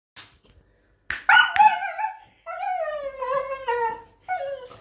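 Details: Grown Border Collie voicing a long, tonal, howl-like whine that slides downward, with layered harmonics, after a short sharp yip; a final brief whine ends it.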